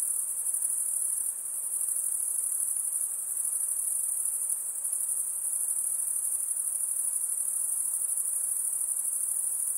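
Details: A long stretch of continuous shrill insect calling, high and steady with a faint pulsing texture and a brief dip in loudness midway, over quiet hiss.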